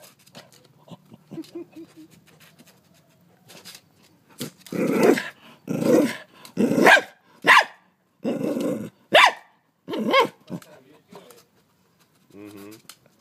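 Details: Scared dog lunging to bite a huge mantis in Australia, giving a series of loud, rough barks spaced about half a second to a second apart, preceded by quieter huffs and a faint whine, with a brief rasping sound at the end.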